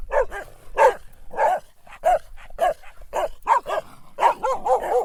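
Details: Dog giving a run of loud barks at an uneven pace, some single and some in quick pairs, ending in a tight cluster of rapid barks.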